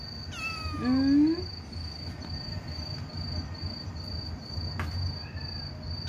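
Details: Orphaned stray kitten called Bebe, having lost its mother, crying to people through the night: a single drawn-out meow that rises slightly, with a steady high insect trill continuing behind it.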